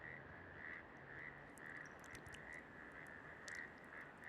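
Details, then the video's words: Breeding-season frog chorus in Bogotá, Colombia, croaking early in the day to attract a mate: dense overlapping short notes at a similar pitch run throughout, with scattered faint high ticks and clicks. "Es temporada de reproducción de ranas. Desde muy temprano, se escucha su croar para atraer pareja."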